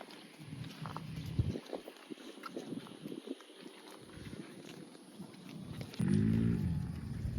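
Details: Cow moo arriving late as one loud, low, drawn-out bellow with a rich, buzzy tone, preceded by several seconds of quiet outdoor background rumble.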